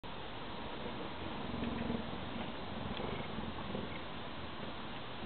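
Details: Cheetah purring: a steady, rough, low throbbing rumble with fast regular pulses, continuous throughout and slightly louder around the middle, over a hissy background.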